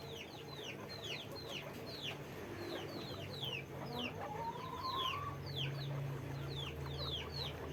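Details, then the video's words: Guinea pigs at a farm, several animals squeaking together: short high descending squeaks overlap in quick succession, about one hundred a minute, with one longer rising whistle midway and a steady low hum underneath. "guinea pig sound, guinea pig noise"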